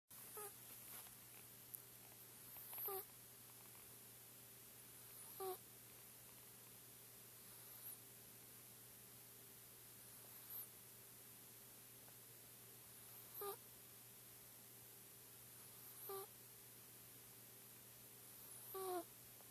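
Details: Four-month-old Chinchilla Silver Persian kitten asleep indoors, snoring softly: faint breathy bursts about every two to three seconds over a quiet room hum.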